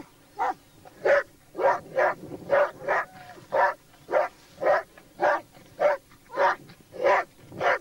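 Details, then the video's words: Hunting Laikas alongside a labrador baying at a wild boar: steady, evenly spaced harsh barks, about one and a half per second, continuing without pause through the whole stretch. "Oхота с лайками и лабрадором , на кабана"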